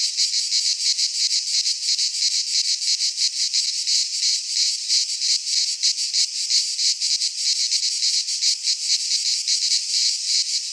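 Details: Chorus of cicadas in a pine forest in Greece at midsummer, a dense high shrill drone built from fast pulses, throbbing steadily about three times a second without pause.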